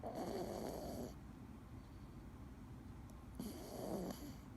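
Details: Male Scottish Fold cat named Dee, sleeping, snoring: two raspy, breathy bursts about a second long and some three seconds apart, each with a low droning tone beneath a hissy airflow, in a quiet room.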